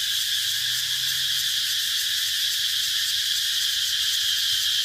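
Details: A cicada's shrill electric drone, steady and dense throughout, pulsing very quickly with a faint rhythmic flutter and no break, other sounds absent.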